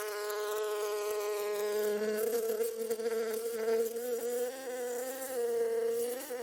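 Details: Bees flying around, giving a steady, droning buzz with a rich stack of harmonics. The pitch wavers slightly as they move, and the loudness swells and dips. No other sounds stand out.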